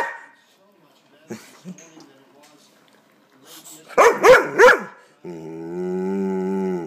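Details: Pet dog upset by an air pump lets out three quick rising barks after a person asks what it is doing, followed by a steady humming drone.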